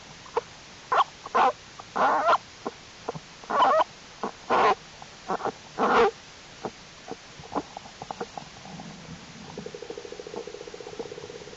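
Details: American black bear cubs in their winter den during unusually warm January weather, growing stronger and crawling around: short scattered squeaky bursts in irregular series, ending in a steady pulsed humming tone.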